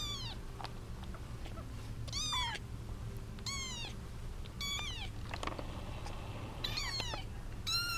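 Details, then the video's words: Kittens, seven female and one male, fighting over their eight-month-old mother, give repeated high falling meows, about one every second, over a low steady hum. "Kittens fighting over mom"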